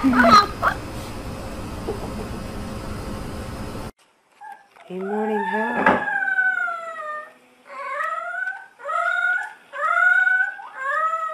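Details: Puppies practising howls: noisy broadband sound at the start, then a series of short, wavering tonal howls with bright overtones, each one sliding up then down, repeated about every second.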